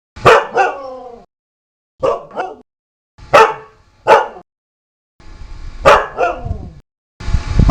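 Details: Loud dog barking comes in paired, punchy yelps with short pauses between, about one pair every second or two, ending in a burst of rough noise.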